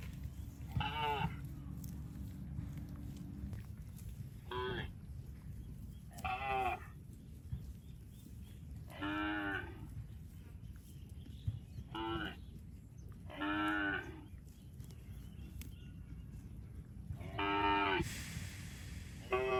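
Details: A cow passing through water in rice fields moos repeatedly, each call a drawn-out, harmonic low bellow.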